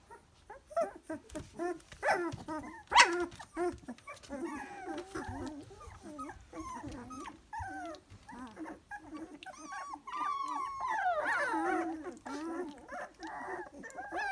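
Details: Dalmatian puppies at three weeks of age whimpering and grunting together, a continuous jumble of short mewing whines and low snuffling sounds, with some higher squeaky calls later.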